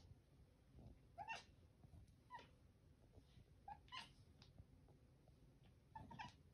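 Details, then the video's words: Trouble Cat, a pet cat, utters a series of short, soft chirping meows roughly once a second amid low indoor rumble. "A compilation of Trouble Cat's meows from 2020"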